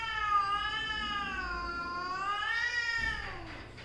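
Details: Mother and daughter cats in a household squabble; a continuous undulating yowl swells and sags in pitch for about three seconds, then breaks off into a lower, fading moan.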